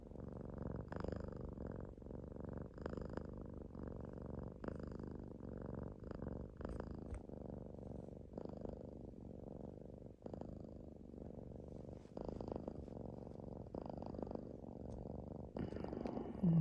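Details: Pet cat breathing close up: a continuous low, rumbling purr-like drone rising and falling in slow breath cycles about every two seconds, with faint soft clicks throughout.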